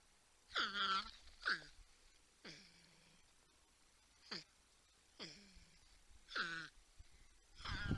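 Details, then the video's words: Humming, grunting porcupines on a wildlife cam in San Angelo, Texas, watched by a 10-point buck and a raccoon: a loud series of about seven moaning calls, each sliding steeply downward into a low hum, with short pauses between them. "Humming Grunting Porcupines"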